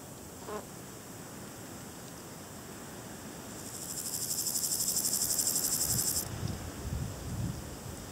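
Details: Balkan brown grasshopper (Chorthippus maritimus) produces one high, hissing, rapidly pulsed buzz of about two and a half seconds that swells slightly and cuts off sharply; a faint click comes earlier and low rustling follows.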